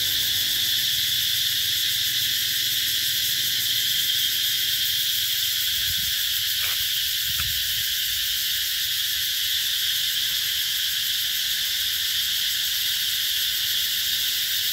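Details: Summer cicadas droning at Mỹ Luôn, Mekong Delta, 2021: an unbroken high, sizzling buzz throughout, interrupted only by a couple of short sharp clicks near the middle.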